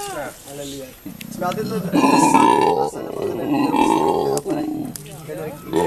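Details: Captive howler monkey named Andy at Monkeyland, South Africa, calling in conversation while his mate Madonna and their young hang nearby; drawn-out harmonic moaning calls, rising and falling, in overlapping bursts with short pauses.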